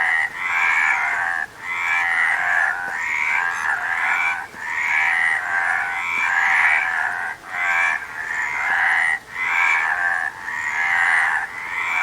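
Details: Frogs croaking in a dense, continuous chorus, rasping pulsed calls centred mid-high, broken by brief gaps about every second or two; no other clear sounds.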